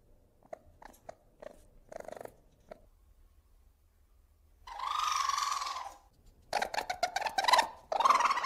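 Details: Domestic ferret: soft scattered clicks and short chuffs, then a harsh, buzzy, drawn-out squeal lasting over a second, followed by rapid raspy bursts and another scratchy squeal.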